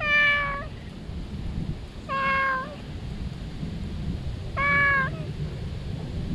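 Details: Joyful stray cat found beneath the trees, calling loudly at a familiar face; three evenly spaced, clear meows about two seconds apart, each short and slightly falling, over low background rumble.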